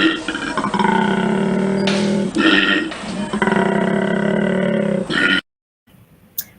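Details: Koala bellow, the mating call used by males to attract a mate: a rasping, snoring-like bellow with strong low harmonics and pulsed rhythm, broken by short breaths, ending in silence and a faint click.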